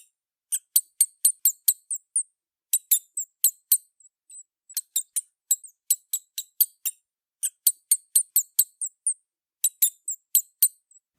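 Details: A big brown bat in New Hampshire in spring, around waking from hibernation, gives bursts of sharp, high chirps and squeaks, five to eight in quick succession, repeated every couple of seconds in a quiet setting.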